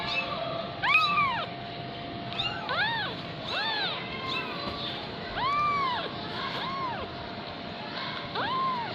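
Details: Fifteen-day-old Persian kitten mewing repeatedly in short, thin, arched cries, about eight calls in quick irregular succession, some overlapping, over a constant low hum.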